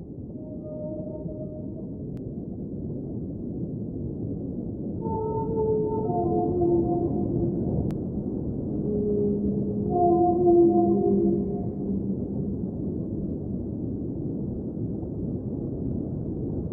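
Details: Whale. Drawn-out whale tones rise, fall and overlap in slow phrases, some moaning low and others higher and more tonal. A steady low rumble of water noise runs beneath the song throughout.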